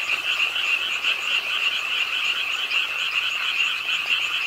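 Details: A dense frog chorus croaks at a park pond in Suwon, South Korea, on a rainy late night, with rain falling, many voices trilling steadily and blending into a continuous high pulsing drone.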